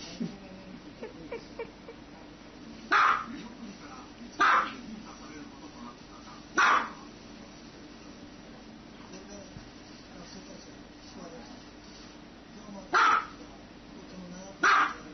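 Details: A dog lets out sharp barks at uneven gaps, three early, then a long quiet stretch before two more near the end, with faint low background noise.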